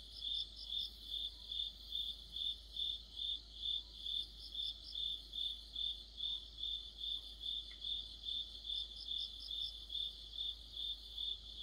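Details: Autumn insect chorus led by crickets, an orchestra of crickets and companions near a streetlight: rhythmic high-pitched chirps repeated roughly every half second, evenly spaced, with a second softer chirper overlapping intermittently.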